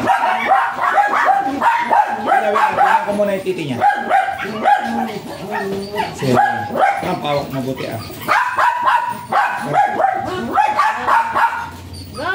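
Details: Long run of piercing, rapid barks from a Japanese Spitz offered as a stud in Aringay, La Union; the yaps overlap in dense volleys, slacken briefly around the middle, then surge again before fading.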